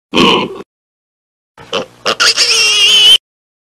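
A pig gives a short rough grunt, then a pause before a shrill, drawn-out squeal.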